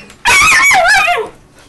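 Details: Sheru, an Alaskan Malamute puppy of eight or nine weeks, in Calgary, Canada, May 2012, aggressive towards Bruno, a German Shepherd, indoors: one loud, high, strained yelping cry lasting about a second, sliding downward at its end.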